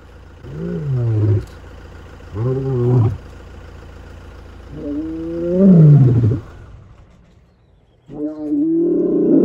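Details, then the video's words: A male lion in the Greater Kruger / Kruger National Park area, seen on an early-morning game drive walking purposefully, gives deep, groaning roars about a second long in a slow series, calling his pride. "Male Lion Roar - Kruger National Park Safari"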